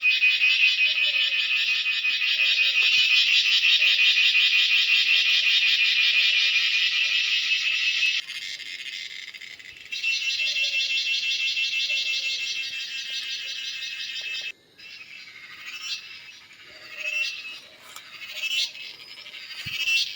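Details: Cicada calling in natural surroundings: a loud, continuous, high-pitched buzz that holds steady for about eight seconds, drops briefly, resumes, then breaks into uneven rasping bursts and short chirps.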